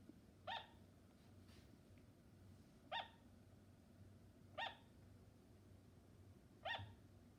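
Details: Sugar glider calling with four brief, clipped, dog-like yaps, evenly pitched and about two seconds apart, against a quiet background hum.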